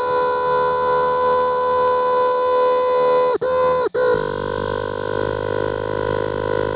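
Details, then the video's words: A cicada, recorded close up, drones in a loud, steady, buzzing whine broken by two brief pauses. "Cicada's sound closeup"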